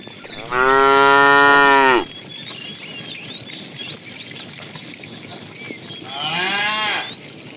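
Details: Tame cows roaming a road for food: a strong, steady moo of about one and a half seconds, then after a pause a shorter, quieter, rougher moo, with distant birdsong underneath.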